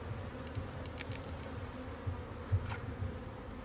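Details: Busy honey bee colony in a Hive IQ beehive in Australia, mid-Autumn 2023, while the hive is opened for an extra box of frames; a deep, even drone with faint soft knocks and clicks over it.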